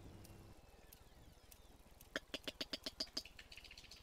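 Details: A sperm whale coda recorded off Otago, New Zealand, among the first codas recorded there: a long run of eight or nine sharp clicks, thought to be grouped as two clicks then a gap.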